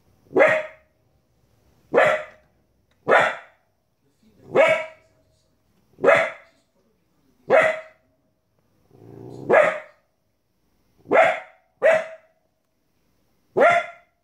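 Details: Young female Border Collie, 15 weeks, barking at wolves on a television screen; about ten sharp high barks repeated roughly every one to one and a half seconds, one preceded by a brief low rumble.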